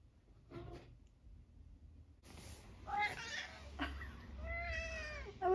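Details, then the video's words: Eric, a vocally busy senior tabby cat from Great Britain nearly 12 years old, entertaining himself with assorted sounds: short chirpy squeaks followed by several harmonic meows rising and falling, with a person talking softly in the room. "Eric and his random squeaks"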